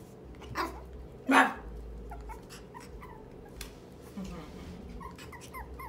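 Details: An 8-week-old merle toy Chihuahua puppy, whole body shaking, barks back with two brief, high-pitched yaps, the second louder and sharper, amid faint chirpy squeaks, soft voices and household noise.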